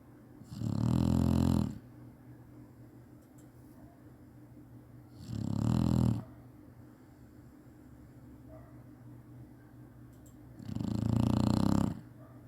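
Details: Chinese Shar-Pei taking a nap, snoring habitually: three deep, buzzing, rattly snores of about one second each, spaced roughly five seconds apart, soft background hum between them.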